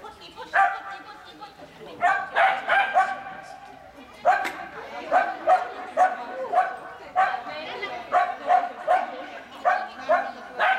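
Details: Standard Poodle at the start of an agility run at a Finnish agility event, September 2018, barking in rapid bursts of harmonic yaps, about two per second, with short pauses, while people talk nearby.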